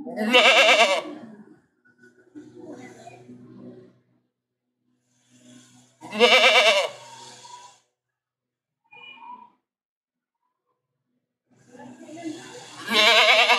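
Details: Domestic goat giving three loud, quavering bleats spread about six seconds apart, with quiet murmuring and short faint sounds in the pauses.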